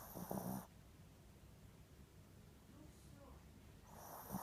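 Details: Snoring from Ricky, a Spitz asleep, comes as a short rough rasping snore at the start, a long near-silent pause with faint breathing, and another snore rising at the end.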